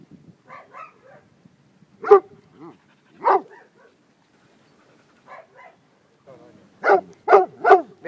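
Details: More than twenty dogs play together in a small dog school in Szentendre, Hungary. Light yips alternate with louder single barks, and the clip ends in a rapid run of three strong barks.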